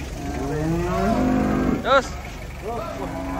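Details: Giant cattle being unloaded from a truck in Indonesia, mooing; a long low moo rising and sliding upward, then two short higher moos, with a sharp clatter in between and a man's voice.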